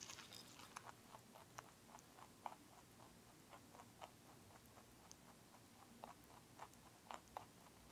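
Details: A lionhead-Dutch mixed-breed rabbit crunches broccoli with quick, crisp bites in an irregular patter.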